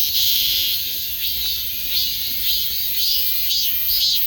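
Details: A shrill, metallic cicada buzz rises and falls in rhythmic surges about twice each second over a steady high hiss.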